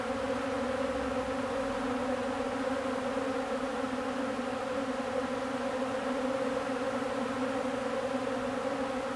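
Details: Honeybees gathered on old comb to feed, producing an unbroken massed buzz: a low, constant humming with stacked steady tones and no breaks or other clear sounds.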